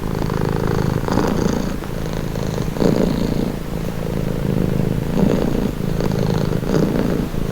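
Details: Steady low purr from a house cat, rhythmic pulses of rumbling as it breathes in and out, louder surges near three and five seconds.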